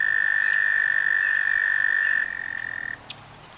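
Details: A toad calling in a vernal pond gives a long, steady, high musical trill that holds one pitch before fading out.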